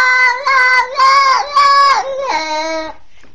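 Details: Kitten, twenty days old, after a pitbull attack, giving a run of harsh, sustained wailing meows with slight pitch swells, each about half a second long, fading into a lower final cry.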